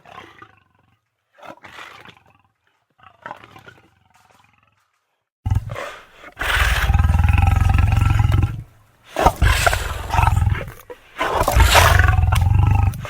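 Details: Lion roaring: faint scattered snarls at first, then loud, deep, rumbling roars that fill the rest of the recording in long heavy bouts with brief breaks between them.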